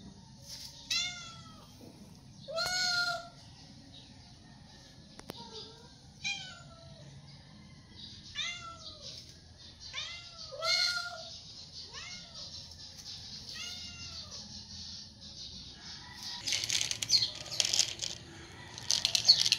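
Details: Stray cats meowing for food when hungry: a run of repeated arched meows, roughly one per second, some higher and thinner, others fuller, followed by crackling rustling noise near the end.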